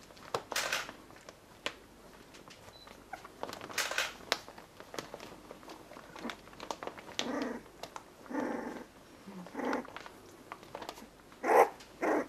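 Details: Pembroke Welsh Corgi puppies from Nelly's litter, day 20, inside a small room: scattered brief squeals and soft whines, with a louder yelp near the end, among clicks and rustling.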